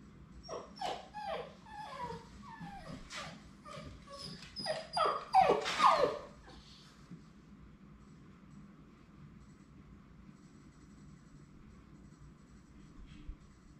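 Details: Labrador Retriever puppies on their last day at High Desert Labradors before leaving for new families: a quick string of short, high, falling yips and whimpers for about six seconds, then near silence with a faint low room hum.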